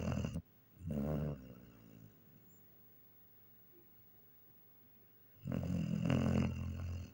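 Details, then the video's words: Sleeping German Shepherd snoring indoors: two long, low rumbling snores with a rattling, harmonic drone, separated by a quiet pause of several seconds. "немецкая овчарка храпит"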